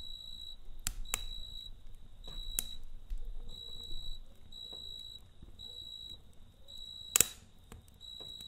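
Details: Night chorus of a cricket by a campfire, steady high trilled pulses in short bursts with brief gaps, broken by sharp cracks and pops from the burning fire.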